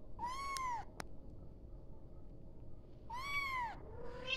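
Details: A kitten cries for its mother: two clear, drawn-out meows that swoop up and sag down, separated by a pause of about two seconds, with a sharp click between them and low background hum.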